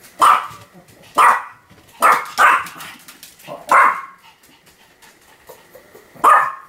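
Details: Sam the Pomeranian in continuous barking, filmed October 7, 2015; short sharp yaps come roughly once a second, some in quick pairs, with brief quiet gaps between them and a final bark after a longer pause.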